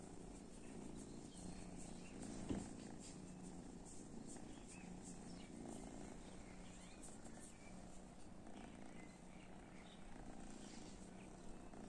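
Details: Domestic cats reacting to cat weed; a soft, low, steady rumbling purr pulses on and off through the clip, with faint household background noise and one brief click.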